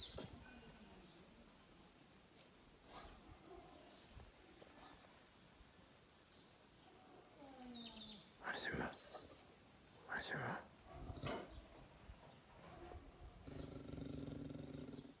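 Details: A Sivas Kangal dog, described as angry and "roaring like a lion", gives a few deep, booming barks amid outdoor background noise.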